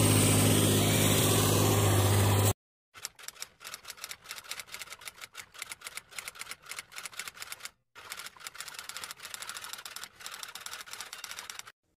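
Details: Rapid mechanical clicking like a typewriter or sewing machine, repeated fast and steady with two brief silent breaks, after a loud burst of noise at the start; no animal voice is heard.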